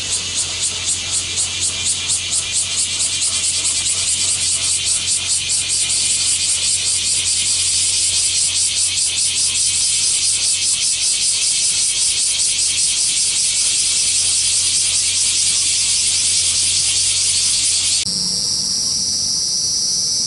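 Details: Cicadas in Japan fill the air with a loud, high, hissing buzz that pulses at first, then holds steady.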